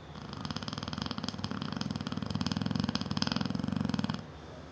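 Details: Seven-year-old female Neapolitan Mastiff snoring loudly while asleep indoors: one long rattling, rapidly pulsing rasp lasting about four seconds, then stopping abruptly.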